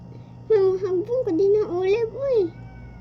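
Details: Pet cat during a fight, giving a long wavering mid-pitched yowl that rises and dips for about two seconds, with a steady low hum underneath.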